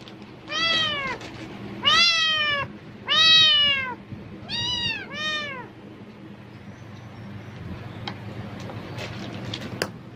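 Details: Pet cat meowing loudly in reaction to the rustle of plastic bags, apparently expecting food: five harmonic, arching meows in quick succession over the first five seconds, then only faint clicks and low room hum.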